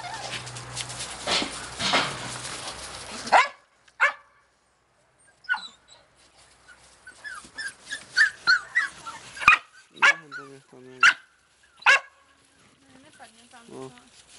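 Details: Australian Cattle Dog puppies in Slovakia; after about three seconds of broad rushing noise, short high yips and thin whines scatter across the rest of the recording, several overlapping.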